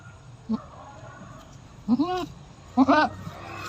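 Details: Goat giving birth for the fifth time, bleating repeatedly: a brief call, then two longer arching, strained bleats about a second apart, over low steady background hum.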